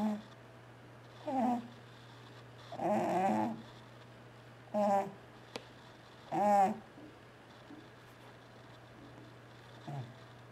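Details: T-Jay, a pet cat asleep indoors and twitching while dreaming, snores loudly in harsh, rasping bursts about every one and a half to two seconds, each a rough grating breath, over a steady low hum.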